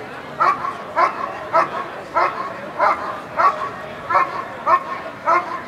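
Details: Dog Eran von Houthrack barking during protection work at the NIAK 2014 trial. Sharp, harsh barks repeat steadily, about one every 0.6 seconds, through the whole stretch, over a low background murmur.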